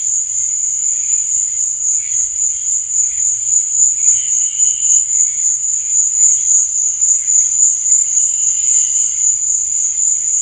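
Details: Cricket chirping at night: a continuous high, shrill trill holding one steady pitch, with faint pulsing and softer higher tones drifting in and out. No other clear sounds.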